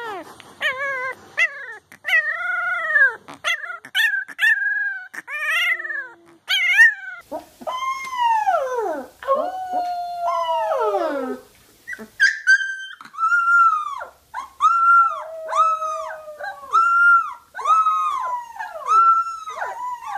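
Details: Puppies learning to howl, young dogs giving short yips and whimpers that swell into rising-and-falling arched howls, several voices overlapping, then longer steady wavering howls repeated in quick succession.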